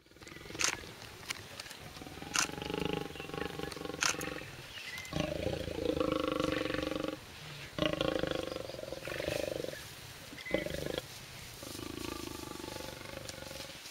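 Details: Lionesses of a pride at a game reserve bordering Kruger National Park, fighting in a tree over a bushbuck kill hoisted by a leopard; harsh broken growls and snarls in bursts, with sharp clicks and rustling between.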